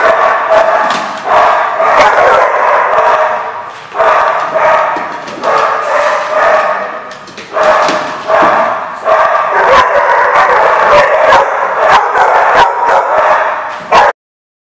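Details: Several dogs barking together at The Barking Lot, recorded 11/10/14: dense overlapping barks and yelps in waves, short pauses near four and seven seconds, ending abruptly.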